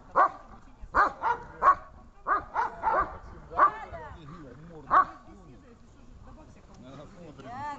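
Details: Dog giving a series of high, clipped barks as its reward during search training, about nine barks spaced roughly half a second to a second apart, then quieter voice-like sounds at the end.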